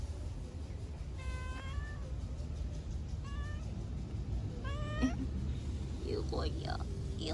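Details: Stray kitten being petted on a lap outdoors, mewing three short, thin, high meows over steady low rumbling noise, followed by faint human voice sounds.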